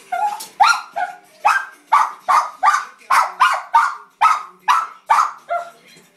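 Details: Excited yappy barking from Emma, a Cairn Terrier watching Puppy Bowl IX: quick, slightly uneven barks about twice per second, some with a rising whine at the start.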